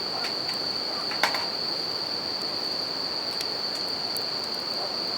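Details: Bell crickets by a campfire near a river: a steady, high, ringing trill held without a break, with rushing river water beneath and a few sharp crackles from the burning fire.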